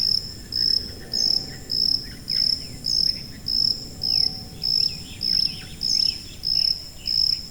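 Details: A high-frequency cricket, around 4.0–5.0 kHz, gives high, pure chirps in a steady rhythm, a little under one per second.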